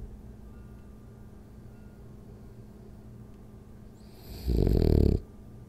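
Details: French Bulldog named Rolly asleep during a ten-minute nap; faint low breathing drones for several seconds before one loud, coarse, buzzing snore bursts out for under a second and fades back to soft breathing.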